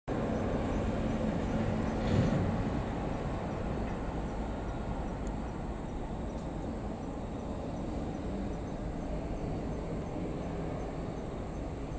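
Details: A broad low rumble of traffic or machinery fills the recording, swelling briefly near the start. A thin, unchanging high whine runs throughout, but no animal call stands out.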